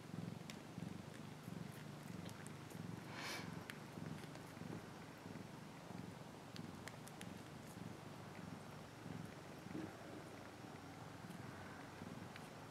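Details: Domestic cat purring steadily in a low, rumbling drone, with soft rhythmic pulses of breathing and a few faint clicks and rustles over the top.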